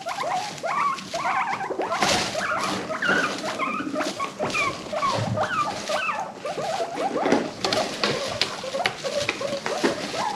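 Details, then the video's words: A herd of five pet guinea pigs from a rescue, making funny social noises; dense overlapping squeals and chirping whistles that rise and fall, repeated rapidly, with rustling and thumps underneath. "The sounds of guinea pigs"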